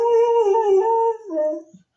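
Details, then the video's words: Drawn-out indoor dog howl, steady and tonal with strong overtones, dipping slightly, then breaking into a shorter lower phrase that trails away to silence. "TO "HOWL" WITH iT !!"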